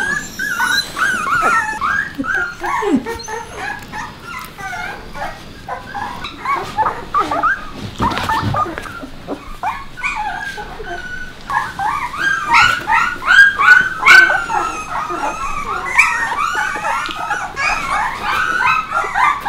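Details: A litter of puppies with Bek keeps up a busy chorus of short, high whines and yips, several voices overlapping, quieter for a moment midway before rising again.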